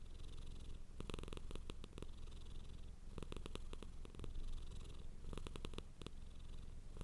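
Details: Domestic cat purring hard: a steady, deep low rumble runs throughout, broken by clusters of sharp crackling clicks around the first, third and fifth seconds.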